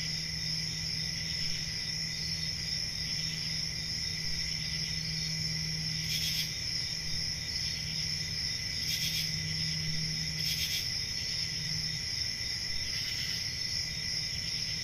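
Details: Summer night crickets in a forest: a continuous shrill layered trill throughout, short louder bursts near six, nine, eleven and thirteen seconds, and a faint low steady hum underneath for most of the stretch.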